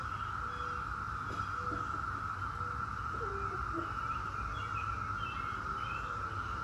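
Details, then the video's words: Continuous buzzing drone of Brood X periodical cicadas, the 17-year cicada, holding one even pitch, while birds add brief whistled notes and chirps over low background rumble. "17-Year Cicada Brood X Sounds"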